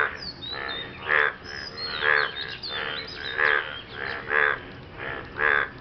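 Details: After rain, a frog croaks to impress its partner, giving short, harsh, buzzy notes about once a second, each rising slightly and ending abruptly, with fainter chirps in the background.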